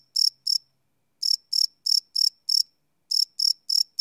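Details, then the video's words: Crickets chirping at night, live field recording on a Sony PCM D100: high, sharp chirps delivered in short bursts of two to five, separated by brief silences, nothing else audible. "Cricket Chirp Sound - Cricket Sounds at Night"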